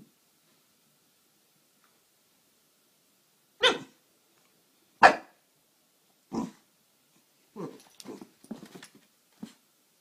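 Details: A Boston Terrier gives sharp, broadband barks, then a quicker run of softer yips and huffs, desperately trying to play with a new kitten.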